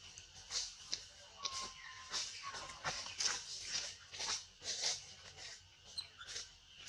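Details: Monkey mother warning baby Brisco: repeated short, piercing high squeaks and chirps, roughly two per second throughout, over a faint steady hum.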